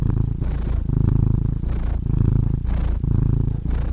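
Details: Loud, close purring from a cat, a throaty low drone that swells and eases with each breath, with short breathy gaps in between.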